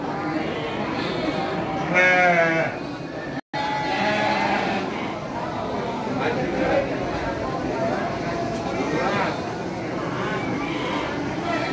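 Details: Garut sheep ewes at the Andir livestock market in Indonesia, 5 April 2021; one strong trembling bleat early on, then fainter bleats under continuous crowd voices, with a brief dropout.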